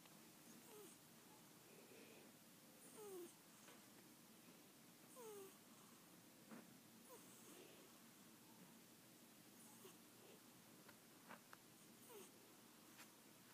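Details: Domestic cat squeaking while asleep indoors: faint, short, descending squeaks every two to three seconds over a steady low room hiss, with a few soft clicks.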